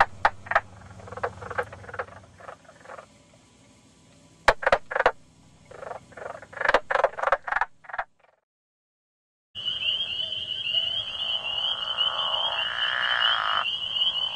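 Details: Nighttime frogs or toads: irregular bursts of short rattling croaks at varied pitch, a brief silence, then a steady high-pitched trill running beneath lower overlapping calls.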